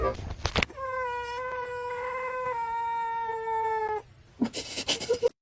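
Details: Domestic cat giving a long, steady, drawn-out yowl lasting about three seconds, slightly falling in pitch at the end, with laughter and voices before and after.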